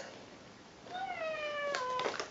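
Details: A male Ragdoll cat gives a drawn-out, gently falling meow, asking for Greenies cat treats.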